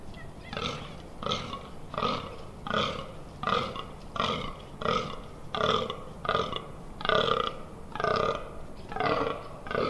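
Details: Fallow deer during the rut on 18 October 2021 in the Amsterdam Water Supply Dunes, heard close up: deep, belching groans repeated steadily about every 0.7 seconds, some thirteen in a row, each rough and harmonic-rich.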